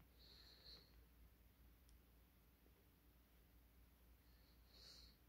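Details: Puppy indoors snorting and then hiding; two short, hissy nasal bursts, one near the start and one near the end, separated by quiet room hiss.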